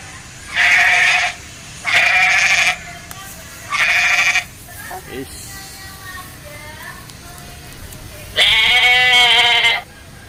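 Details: Goat being fed, calling with four loud, nasal, buzzy bleats, three short ones in quick succession and a longer one near the end. Brief quiet Indonesian speech and faint rustling come between them.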